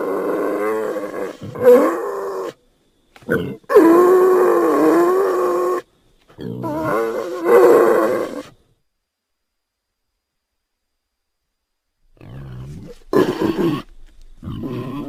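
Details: A North African wild boar gives harsh, tonal grunts and drawn-out squealing moans in short bursts separated by silence.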